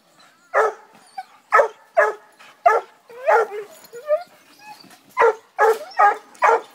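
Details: Eight-month-old female Redbone Coonhound in training, seeing her first raccoon: excited barks and yips in irregular bursts, some drawn-out whining notes between them.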